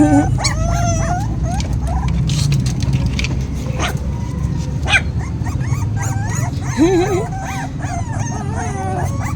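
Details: Hungry puppies crying, waiting to be fed: a busy chorus of high, arching whines and sharp yips overlapping constantly, with a woman talking in Filipino nearby and household clatter.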